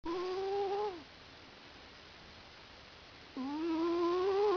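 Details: Domestic cat asleep on its owner's lap, snoring with nasal, tonal, slightly wavering breaths about a second long, separated by a quiet pause of over two seconds.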